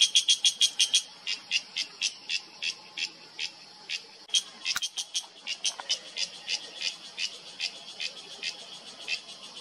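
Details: A cicada in Himalayan mountain oak forest in Uttarakhand in September gives loud, buzzy pulses about three times a second in a steady, rasping rhythm, a call that reverberates through the mountains. Cicada.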